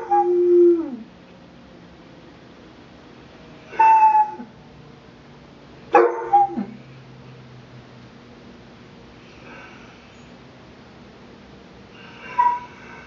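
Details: Alvin, a basset puppy, howling with a weekly emergency test siren; short separate bursts of howls and yips with falling pitch, spaced by several seconds of near-quiet background.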